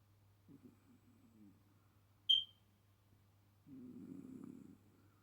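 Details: Sleeping Chihuahua snoring quietly: a short, broken low rasp early on, then a longer steady rasping snore near the end, with one sharp high click in between in a quiet room.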